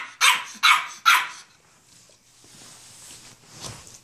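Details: An 8-week-old female French Bulldog puppy gives three sharp, high-pitched yapping barks in quick succession, telling off her large, elderly Rottweiler sister on first meeting her, recorded in 2015.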